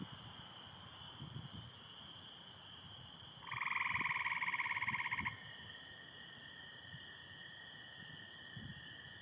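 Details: Night of 24 April 2025 in Michigan with stars and some overcast: a steady high-pitched chorus of spring peepers runs throughout, interrupted by a loud, rapidly pulsed American toad trill lasting about two seconds, with faint low rustles.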